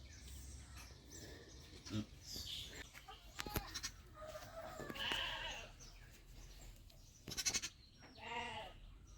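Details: Sheep on a farm during lambing, giving a single short harmonic bleat near the end after scattered clatter, rustling and clicks over a steady low background noise.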